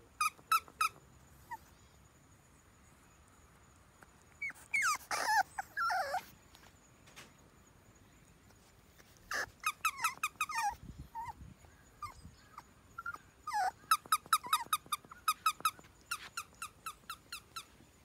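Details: French Bulldog puppy named Red, offspring of Ebi, giving bursts of high, squeaky whimpers in quick series, with a louder whining outburst near the start and repeated thin squeals toward the end.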